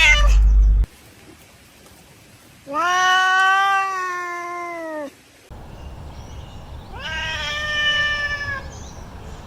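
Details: Cat giving long, steady, slightly falling meows, two extended calls several seconds apart, the second fainter and noisier, after a brief loud thump at the start.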